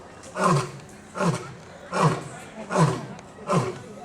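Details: An African lion at Seattle's Woodland Park Zoo roars and huffs in a string of deep, grunting roars, each one falling in pitch.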